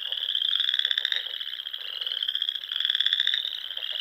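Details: Nebraska Sandhills frogs calling in spring around small lakes and ponds at dusk: an unbroken wall of shrill trilling, its loudness gently pulsing as individual callers surge within the chorus.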